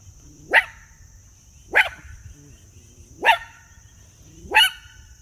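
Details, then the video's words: Miniature Poodle barking, four sharp high barks spaced about every 1.3 seconds, each short and bright, with a constant faint high-pitched tone running underneath and quiet background between barks. "Miniature Poodle talking with his friend"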